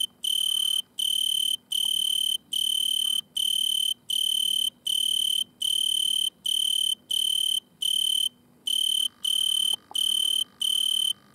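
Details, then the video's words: At night, an Italian tree cricket sits in a butterfly bush and stridulates. It gives a steady sequence of ringing, high-pitched trills with short silent gaps, and a faint lower hum near the end. "Weinhähnchen mit Gesang und sichtbarer Stridulation"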